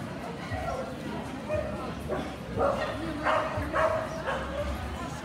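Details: At a Kerry blue terrier specialty show held 29.04.18, several quick yappy barks come in a loose series during the second half, roughly two per second, while voices murmur throughout.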